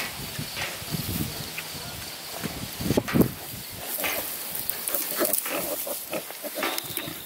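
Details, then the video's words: Pig with newborn piglets only a few days old, the mother being protective of her babies; scattered short squeals and grunts over a steady background of insect buzzing and hum. "whee whee whee new PIGLETS"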